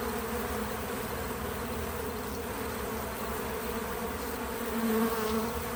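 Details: Bees at a feeder make a continuous, steady, low hum. Near the end a nearer wingbeat buzz swells briefly, rising slightly in pitch before fading back into the drone.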